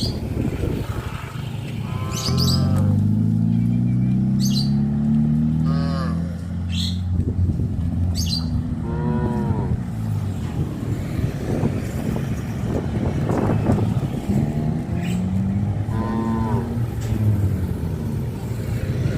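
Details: Village farm cattle lowing near a highway: a long, deep moo that rises slowly and lasts about five seconds, then a second rising moo later, over steady low rumble and faint background music.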